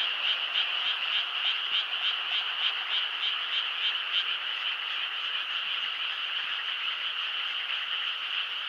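Many frogs call together at night, their high, rapid trills blending into one continuous, shimmering chorus. Early on a pulsing rhythm of about three beats per second stands out before the voices merge into an even drone.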